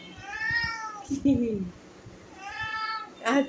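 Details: Domestic cat indoors, getting in the way while a wardrobe is being cleared, gives two clear, tonal meows that rise and then fall, separated by a woman's short spoken words, with a brief voice again at the end.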